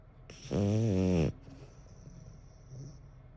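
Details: Eleven-year-old French Bulldog named Bon snoring indoors: one low, buzzy, harmonic-rich snore lasting under a second, then quiet breathing with a faint high hiss.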